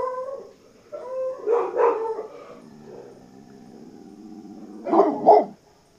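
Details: Coyotes give wavering, tonal yips and short howling notes, with rising and falling pitch and layered overtones, then a louder double burst of yelps near the end, against an otherwise quiet background.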